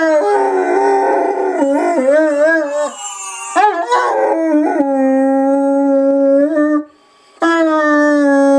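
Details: Large pet dog howling along as if singing: steady drawn-out tonal notes with wobbling bends and short yips between, one long level howl lasting about two seconds, a brief pause, then another howl begins.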